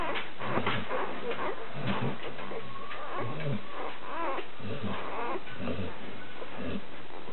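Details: Twelve one-week-old Labrador Retriever puppies, nine males and three females, in a breeding kennel; short whimpering squeals and grunts with some tonal rising whines, overlapping and continuous, with low rumbling background.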